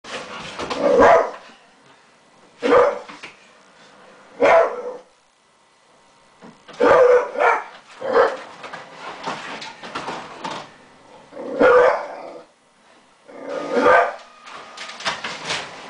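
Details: Newman the dog, who dislikes the printer, barking at it in clusters of loud, gruff barks spaced one to three seconds apart, with quiet gaps between the bursts.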